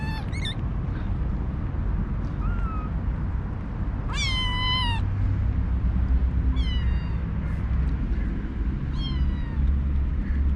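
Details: Newly arrived kitten in a kitten cage in the morning, after veterinary treatment; one loud high meow near four seconds, fainter shorter meows before and after, steady low hum of traffic or machinery underneath.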